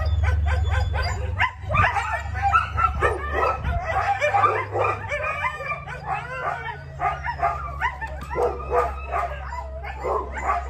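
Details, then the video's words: Husky in a sustained outburst of rapid, choppy yips and short whining cries, several per second, with a steady low hum underneath. "Husky big time blow out"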